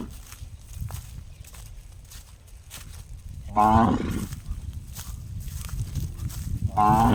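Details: Cow producing a funny gong-like call: two brief, resonant, ringing notes with rich overtones about three seconds apart, over a steady low background rumble.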